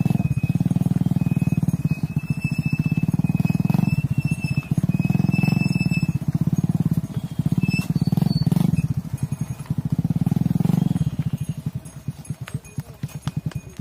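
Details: Mother cows moving into a barn as their calves remain outside on a farm; long, low, rough bellows rise and fade in waves, while high bird whistles sound in the background.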